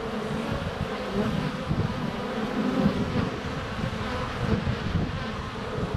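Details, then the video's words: Honey bees buzzing in flight close to the hive entrance on a sunny February day, filmed with a GoPro Hero 7 Black under a foot away; a dense, steady low drone with fluctuating intensity fills the whole stretch. "Honey Bees"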